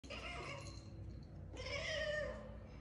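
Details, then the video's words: An orange pet cat giving a bleating, lamb-like meow: two drawn-out nasal cries, the second louder and wavering, with a harmonic, goat-like quality and faint room noise. "This Orange Cat's Hilarious Lamb Impression"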